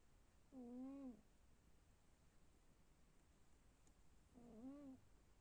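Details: Sleeping house cat snoring. Two short, humming, tonal snores, each bowing up then down, come about four seconds apart. They are soft against steady low room hiss.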